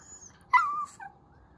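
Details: Irritated Chihuahua, kept from treats and food it keeps hearing about, lets out a short, high, tonal whimper that slides slightly downward, followed by a fainter second note, in a quiet room.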